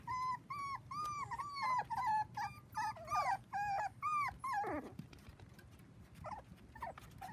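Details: Four-week-old Dachshund puppies, seven in the litter, playing with children on a trampoline; a run of high, wavering whimpers repeated about twice a second, then fading into softer squeaks and faint background noise.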